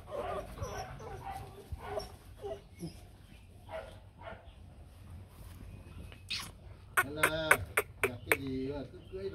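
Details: Rottweiler puppies, a 2024 litter of four with their mother Hanna Gervi, at a kennel. Vietnamese speech fills the first part, then a burst of loud, sharp, harmonic yelps and barks follows in quick succession near the end.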